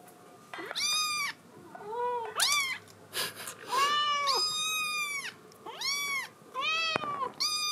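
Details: Scottish Fold kitten crying to be let outside: a persistent run of loud, clear, arching meows, about seven in quick succession, some long and drawn out, others short and rising, with faint thuds between.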